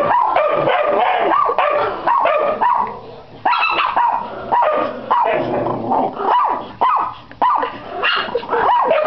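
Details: Pit Bull crossed with Yorkshire Terrier giving sharp, yelping barks at an uneven rate of roughly 107 a minute, with short gaps that break the barking into clusters.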